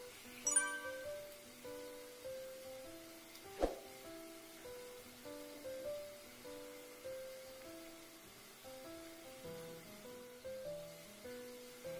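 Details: A light, bouncy instrumental tune of short stepping notes plays, with a sharp clink near the start and no animal sound.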